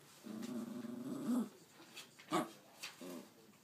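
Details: Pet dog 'talking' indoors, a drawn-out warbling moan held over a second with a wavering tone, then short yips and grunts; no human voice clear.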